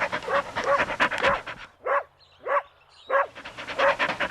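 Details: Puppies at play competing for toys on green grass make rough, breathy barks and panting huffs, a dense run first, then three separate gruff barks about half a second apart, then more quick panting.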